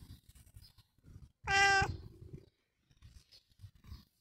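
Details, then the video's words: Long John Whiskers, a house cat, lets out one loud, rich meow of about half a second, with quiet low bumping sounds before and after. "Long John Whiskers Is A Meowy Lad"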